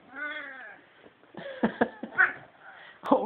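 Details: Male house cat seeing a Christmas tree for the first time and appearing to dislike it: one clear drawn-out meow, then a person's voice speaking to it, ending with a short sharp sound.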